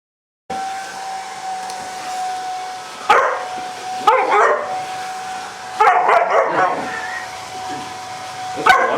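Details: German Rottweiler puppy, five months old, attacking a hairdryer: short sharp barks and growly bursts near 3, 4, 6 and 9 seconds over the steady high whine of the running hairdryer.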